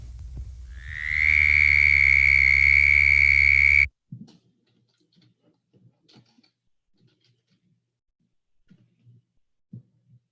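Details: Male southern toad, Bufo terrestris, in an archival 1950s recording by Bogert: a steady high-pitched musical trill, air forced over the vocal cords about 75 times per second, holding one even pitch for nearly three seconds before cutting off, followed by faint room noises.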